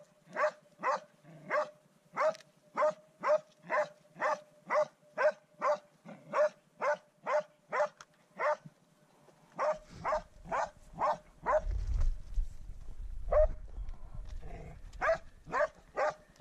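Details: First wild boar encounter for the dog Swix, who bays in a fast, regular string of barks near two per second; a low rumbling noise rises midway while the barking carries on.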